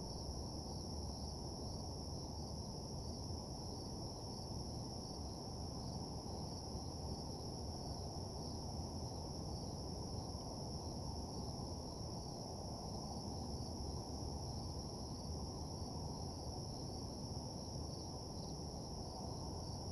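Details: Crickets at night in a deserted parking lot: a steady, unbroken high-pitched trill with a fainter, even higher band above it, over a constant low rumble of background hum.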